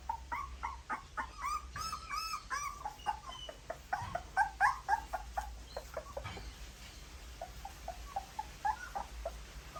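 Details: Several puppies suckle mother's milk, giving a busy run of shrill squeaks and whining whimpers at an irregular, fast pace, with a few louder cries mid-way and soft muffled thumps beneath.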